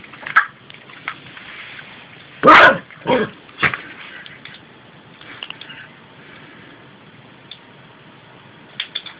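A Yorkshire Terrier gives a few short, sharp yaps in a quiet room.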